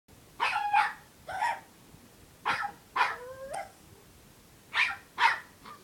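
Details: Puppy barking because it is unhappy and wants to play, at home in the afternoon: six high yappy barks in uneven pairs, one ending in a rising whine-like tail, with quiet gaps between.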